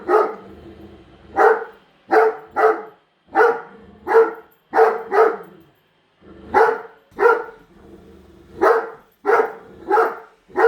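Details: Female Great Dane indoors barking nonstop at a newly unboxed Roomba robot vacuum while two other dogs stay calm; deep, loud barks in quick pairs and triplets, about seventeen in eleven seconds, with short pauses between bursts.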